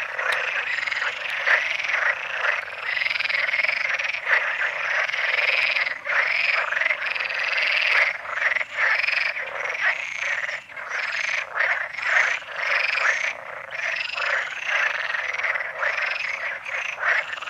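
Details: A dense chorus of Perez's frogs (Pelophylax perezi) at the San Antolín pond in Zamudio, Goikomendi, on May 7, 2020, gives rattling, nasal croaks that overlap almost without pause.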